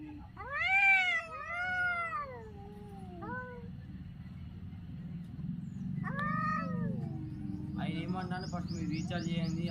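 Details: Adult cats crying in a series of sharp, arching meows that rise then fall, three close together at the start and another after a pause, ending with a man talking over a low hum.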